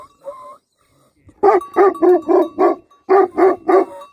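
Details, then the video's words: Livestock guardian dogs barking in quick bursts, two volleys of rough, deep barks separated by a short pause, preceded by a brief whining note. "Livestock Guardian Dogs Barking"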